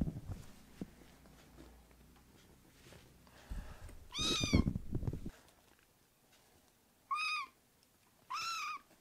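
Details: Rescued foster kittens indoors give sharp high meows near the end, two bright arching calls, after a stretch of low rumbling, thumping handling noise and a brief noisy burst in the middle.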